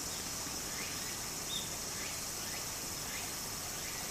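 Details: Cicadas singing in summer beside a stream in Japan: a steady, hissing high-pitched drone under rushing water, with faint, evenly spaced rising strokes repeated about twice a second.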